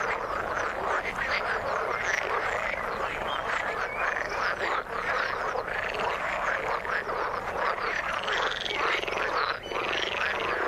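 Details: Frogs in the water give a loud, dense chorus of overlapping croaks and rattles, a few clearer rising calls heard toward the end.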